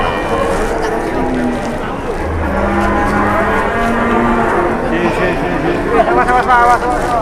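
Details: Cattle at a market in Indonesia, several calling together: long, low, drawn-out moos overlapping one another, with a rougher, wavering bellow near the end and constant crowd noise behind.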